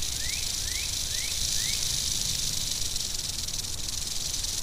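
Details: An angry western diamondback rattlesnake keeps up a constant sizzling high-pitched rattle; four quick upward chirps sound at the start, with low outdoor rumble underneath.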